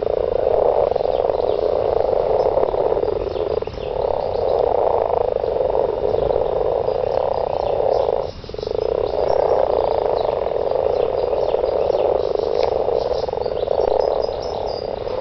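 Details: Mating frogs in a garden form a loud, steady chorus of buzzy pulsed croaks, continuous trills that dip briefly around four and eight seconds and then resume at full strength.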